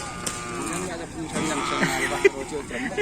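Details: Cattle at a kerapan sapi bull race field: a low, drawn-out harmonic moo through the first half, with laughter, people talking and crowd noise around it.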